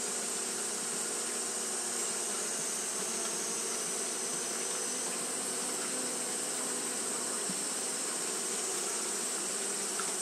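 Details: Japanese honey bees fanning continuously on a hot day: a steady, dense droning hum with layered low tones and a bright hiss above, its loudness unchanging throughout.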